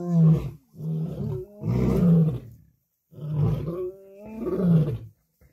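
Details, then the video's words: Lions compete aggressively over a kill, the dominant males feeding before the females and cubs. Deep, rumbling growled roars come in four heavy bursts, each lasting about a second, with short pauses between them. "An Incredible Fight of Dominance Over Food Among the Lions, Lionesses and Cubs"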